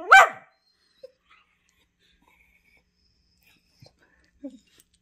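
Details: Two whippets, Henry and Vinny, wrestling in their favourite game of chewing on each other; a single short, strained yelping whine with sweeping harmonics opens, followed by near silence broken by a few faint soft knocks.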